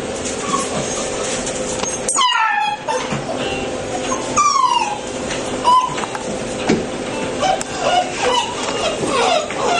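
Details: A 7-week-3-day-old black male Labrador Retriever puppy, white chest patch, from a litter of 10, gives high, sliding whimpers that drop in pitch, spaced a second or two apart.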